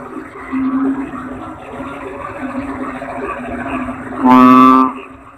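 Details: A toad gives one loud, rasping, low croak near the end, after a stretch of quiet humming background with a brief, softer note early on.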